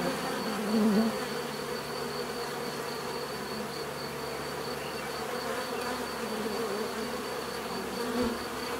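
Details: Bees buzzing in a dense, steady drone, a low hum layered with many overlapping wingbeats; individual insects swell briefly louder as they pass close near the first and eighth seconds, with a faint thin high tone running throughout.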